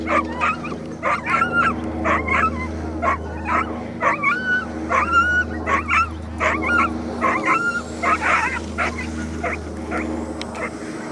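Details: Dogs at a coursing race in Ruza, 2015, giving excited, high, squealing yelps and whines in irregular bursts over a steady low engine hum.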